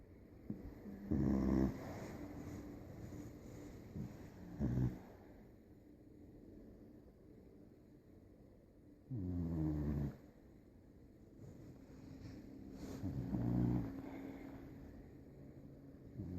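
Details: Sleeping beagle puppy snoring loudly, recorded July 2019; four low, rasping snore bursts at irregular intervals, each lasting under a second, separated by quiet stretches of soft breathing and room hiss.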